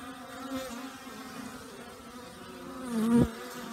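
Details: Honey bees all out after last night's torrential downpour, the weather warmer than usual this new year; a steady low buzz swells as a bee passes close at about three seconds, then fades.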